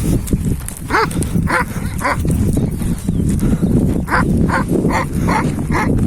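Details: Hançer, a purebred Kangal and son of Kurtboğan, recorded 26 April 2024, barks in short bursts, a few early then a run of five toward the end, over loud, rumbling wind noise.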